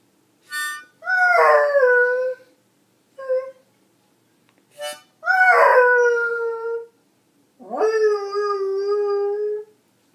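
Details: A Beagle sings along with a harmonica, giving three drawn-out, mournful howls that each swell in with a rising slide and then hold a steady, quavering tone, with short harmonica bursts between them.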